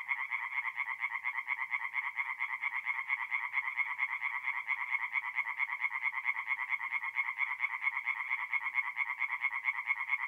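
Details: Chorus of singing tree frogs at a forest pond by night, mid-April, north-east Italy: dense, continuous rasping pulses overlap without pause, several callers blending into a steady nasal buzz with no other sounds.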